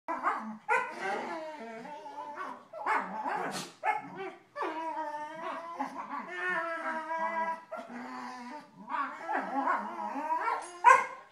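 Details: Vizslas playing rough, giving a run of drawn-out, harmonic growling barks and yowls in overlapping bursts of a second or two, with short gaps and a sharp yelp near the end.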